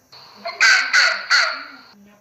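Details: Fox giving three loud, harsh, raspy barks in quick succession, each lasting about a third of a second, with a faint low hum and a brief quieter note before them.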